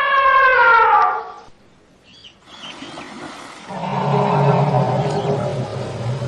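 An Asian elephant gives a brassy, falling trumpet, then a low, rough rumbling call after a pause.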